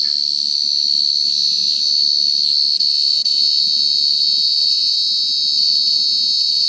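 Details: Cricket calling in a loud, unbroken high-pitched trill that holds steady from start to finish, with a bright overtone above the main tone and a faint low murmur underneath.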